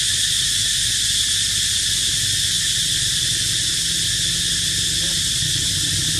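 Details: Cicadas drone in a loud, unbroken, high-pitched buzz with a faint low hum beneath, in an archaeological park where monkeys live.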